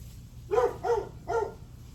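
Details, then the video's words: A dog barks three times in rapid succession, each bark short and slightly rising then falling, recorded on July 9 at 8:38 am against a low steady hum. "Barking dog"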